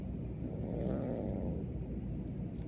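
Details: Beans, a Siamese kitten, growls indoors at his owner over a new kitten being acclimated under the door from the next room; a steady low rumbling throughout.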